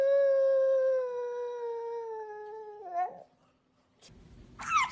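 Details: Pug dog howling with a long, steady, slightly falling tone for about three seconds, which then breaks into a short wavering warble; after a brief pause come a soft rustle and a sharp high squeak.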